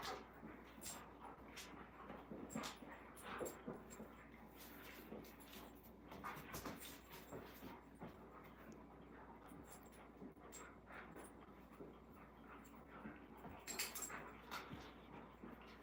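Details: Alaskan Malamutes, including one named Moose, indoors on a cold, rainy, windy day, rolling around and wrestling; soft whimpers and panting mixed with steady scuffling and bumping noises throughout, with a brief brighter burst near the end.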